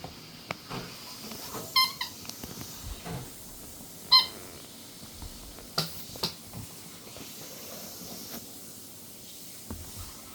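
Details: Chihuahua (Canis lupus familiaris), puppy squeaks.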